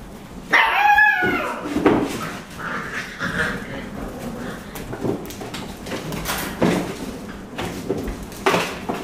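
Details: Basenji puppies chasing a ball through a kitchen on a winter day give a high, wavering whine followed by scattered short yips and soft grunts.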